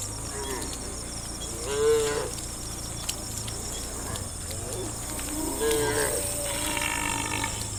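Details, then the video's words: Cows in a herd of dozens heading for watery grassland give two short, fairly quiet moos about four seconds apart over a steady background hiss and hum. "funny cow sounds"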